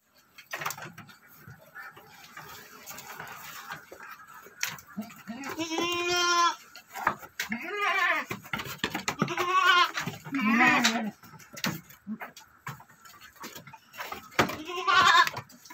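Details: Goats on an Indonesian goat farm, including a doe that bore a single male kid; several clear wavering bleats with rich harmonics near six, eight, ten and fifteen seconds, with background clatter and some speech.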